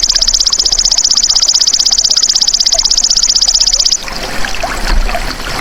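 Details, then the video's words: Golden grasshopper giving a fast, steady, high-pitched pulsed trill of about four pulses per second that runs for four seconds and then stops, leaving soft rustling and outdoor background noise. "MASTERAN BELALANG EMAS TERBAIK 2026 | SUARA ASLI PANCING BURUNG CEPAT GACOR, FOKUS & RAJIN BUNYI"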